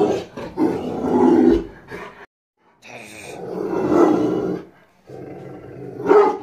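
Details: Rottweiler guarding its house aggressively, letting out heavy, gruff barking runs that stretch over a second or more, broken by a clear silent gap midway.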